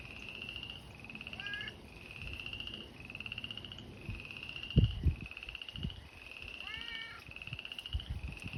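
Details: Spring chorus of frogs at an abandoned, seasonally drying fish pond; pulsed trills repeated back to back, a few quick descending chirps, and low thumps and knocks in the background.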